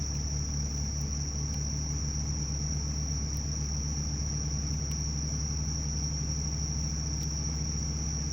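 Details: Bell crickets calling in midsummer: a steady, unbroken high ringing trill that holds one pitch throughout, over a heavy low rumble and faint clicks.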